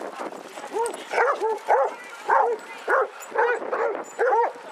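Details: Baying from a pack of 22 Basset Hounds walking in Hazlehead Park, Aberdeen, 2 February 2014: a steady run of short, bowed, resonant barks, some doubled, repeating about twice a second over a background of chatter.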